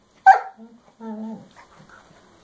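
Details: Scooby, a female puppy, throws a tantrum indoors because Rocky, another dog, will not give up his chew. A sharp yelp-like burst opens into a drawn-out, steady, tonal moaning whine, then softer fragments.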